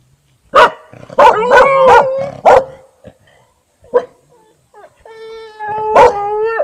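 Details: Siberian Husky and a yard dog trying to bark, evening of 15 August 2018, Panoterai, Jonava district, Lithuania. Five sharp barks in quick succession, a lone bark, then a sustained tonal howl broken by one more bark.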